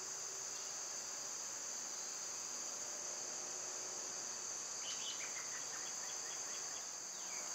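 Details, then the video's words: Cicadas singing on a summer day, a constant piercing whine that never breaks, with a short burst of quick bird chirps about five seconds in. "Birds & Squirrels w/ Cicada sounds"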